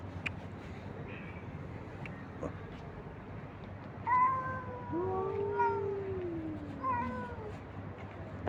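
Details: Abandoned stray cats and kittens meowing while a man feeds them in the street; after a few seconds of low background hum, several drawn-out, falling meows overlap, including one longer, lower wail, then a last shorter meow near the end.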